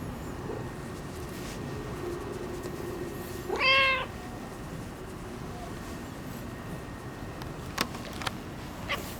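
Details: Neutered ginger tabby boss cat of a local area, showing fondness: a single brief meow with a slight rise and fall amid steady outdoor background noise and a few faint clicks.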